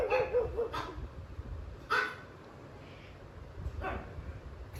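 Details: A jealous pug barks fiercely at pugs and other dogs on TV, defending his territory: a few sharp, high barks spaced a second or two apart.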